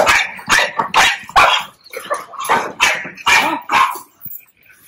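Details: Young dog having ear-cropping stitches taken out at home yelps in a quick series, about eight sharp, strained cries in under five seconds, each a short rising-falling burst, then quiet.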